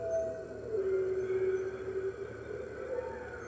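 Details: Red wolves at the NY Wolf Conservation Center on the morning of 15 March 2013, joining the center's other wolves in a chorus. Heard on a webcam: a sustained howl that steps down from a high tone to a lower, steady one.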